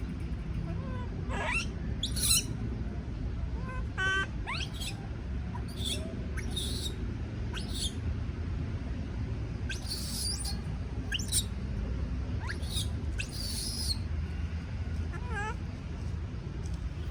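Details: Scared baby monkey afraid of being alone, calling repeatedly: many brief, piercing high squeaks and screeches scattered through the recording, some in rapid clusters, over steady low background noise.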